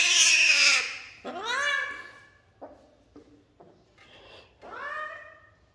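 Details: Kitten caught and held indoors, frightened of heights: a loud noisy cry, then two rising-falling harmonic meows with short soft sounds between them, plus a man talking softly.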